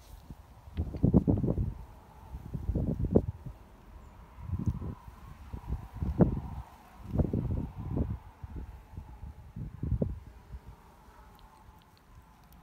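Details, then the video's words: Domestic cat purring in a calm, quiet moment: a low, rumbling vibration that swells and fades in uneven bursts every one to two seconds, following its breathing, with a faint steady hum in the background. "Cats for Peace - Moments of Peace Medley - purr"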